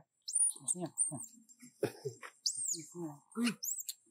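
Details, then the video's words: Monkey named Baloo uses a small voice to ask for more food: thin, very high squeaks that arch up then fall, repeated about once a second, over low human voices and handling noises. "Monkey Baloo used his small sound to ask for more food to eat"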